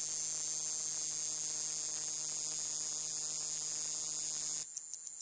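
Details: Desert Cicada in Tucson, Arizona, buzzing as a plate under its extending abdomen vibrates; a loud, steady high-pitched hiss holds for over four seconds, then drops to a softer pulsed buzz, with a faint low electrical hum beneath.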